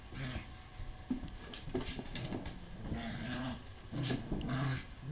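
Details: Puppies scrapping with each other: short low growls and brief whiny yelps break through steady scuffling and rustling noise, with bursts at irregular moments across the few seconds.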